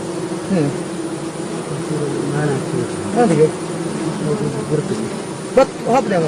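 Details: Stingless bees, known locally as mojanti, mishri or nasuri, being caught during beekeeping at Hebri: a steady low droning buzz runs throughout, with wavering human voices rising over it near the end.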